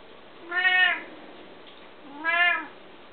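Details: Two drawn-out harmonic meows from pet Bengal cats, each rising then falling slightly, about a second and a half apart, in a quiet room.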